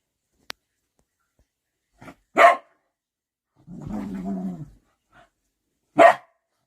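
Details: Large puppy with its mother dog, deferring to her, likely indoors: sharp isolated barks at about two and six seconds, with a low rumbling growl of about a second between them.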